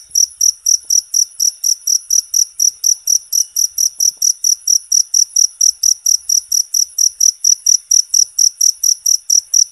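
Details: Loud, natural cricket chirping for songbird training: sharp high-pitched trilled pulses come in a steady, unbroken rhythm of roughly three per second over a quiet background.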